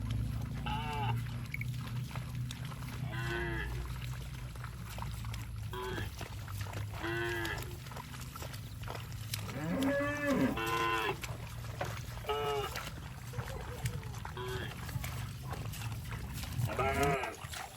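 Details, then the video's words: Cows passing through water in rice fields, giving short harmonic moos that come in bursts, a few overlapping, around one to two seconds apart, over a steady low rumble and faint splashing. "Funny Cow Sounds Passing Water in Rice Fields"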